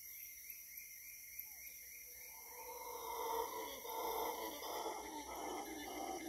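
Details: Howler monkeys in Costa Rica jungle: deep rasping howls rise from quiet after two seconds into a sustained, pulsing roar, over a continuous shrill insect hum.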